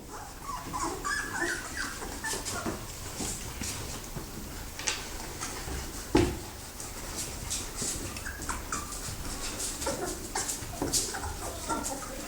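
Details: Thirteen cream-coloured Labrador Retriever puppies, littermates indoors, give faint high whimpers and squeaks scattered through the recording, with one sharp louder yelp near the middle, over rustling and shuffling of the pups moving about.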